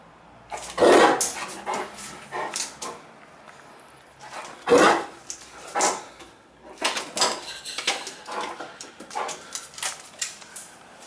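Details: Playful Great Dane, Cartier Bresson, in a Sao Paulo apartment during August 2014: two loud, deep barks about four seconds apart, followed by a string of quieter huffs, thumps and shuffling sounds indoors.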